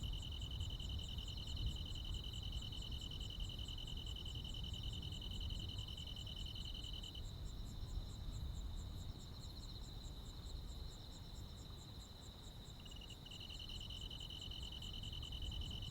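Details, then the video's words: Night insects and crickets in summer countryside: two high trills sound together, the lower one stops partway through and resumes near the end, while a quick-ticking higher caller continues over a low rumble. "시골 야간 귀뚜라미, 벌레 소리"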